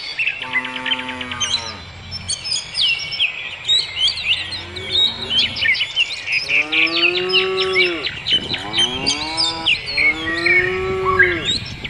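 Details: Cattle on pasture mooing repeatedly: a long low moo at the start, a faint short one, then two more long drawn-out calls near the end, each sliding down as it fades. Dense chirping birdsong carries on above.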